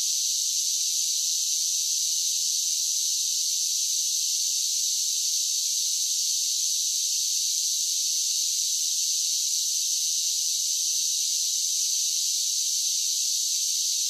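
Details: Summer chorus of cicadas: an unbroken, piercing high buzz that stays level in loudness the whole way, with nothing else heard.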